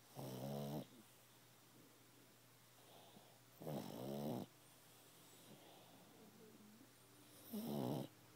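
A pug snores in loud, rattling bursts, each lasting under a second, about every three and a half seconds.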